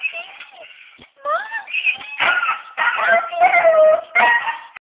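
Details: A pet dog howling at a monkey: wavering, drawn-out tonal howls, rising and falling in pitch with strong overtones, in several bursts separated by brief pauses, the last ones loudest.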